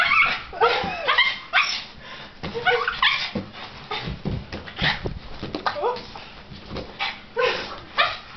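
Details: Pet dog Shirley, agitated while watching a floating balloon being hit, produces curved, whining yelps and sharp yips in clusters every second or so, with thumps from the balloon and a human voice in the background.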